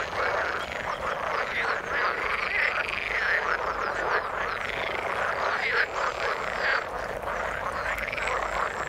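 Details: A chorus of frogs in the water: a continuous mass of rough, rattling croaks overlapping without pause, with a few rising, ringing notes emerging around the third and sixth seconds.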